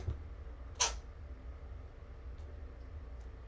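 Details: Foster kitten Spock, one of the Roswell litter born January 19th, lets out a sudden sneeze indoors: a single short, sharp, hissing burst near the start, then quiet room hum with faint soft ticks.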